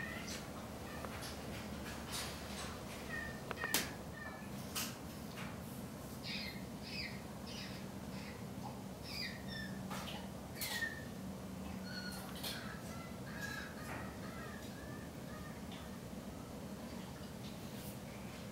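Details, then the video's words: Rescued chimpanzee at a sanctuary in Cle Elum, Washington, making bird-like noises while relaxing: a long series of short, high chirps and squeaks, some in quick pairs, over a steady low hum. "Chimpanzee makes bird noises"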